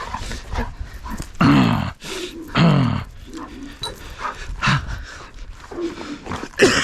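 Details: A happy Golden Retriever greets its owner coming home with short, excited yelping barks while a person talks over it.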